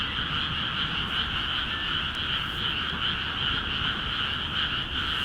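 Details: Rice paddies in Akiha Ward, freshly flooded, ring with a busy frog chorus; overlapping croaks pulse in a rapid, slightly uneven throb, continuous throughout, with a few faint clicks in the background.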